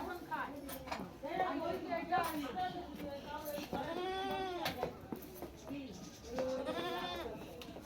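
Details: Goat kid being pestered by a boy gives wavering, arched bleats, two clear ones a few seconds apart, while people talk constantly nearby.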